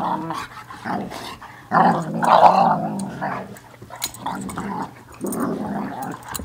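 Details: Two playful dogs wrestling, trading throaty, gargling growls in bursts about every second, with a louder, snarling stretch midway and short pauses between rumbles.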